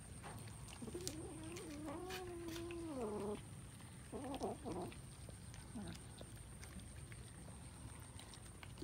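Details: Kittens eating rice; a long, wavering meow of about two seconds, then a shorter broken meow and a faint brief call, over a steady background hum.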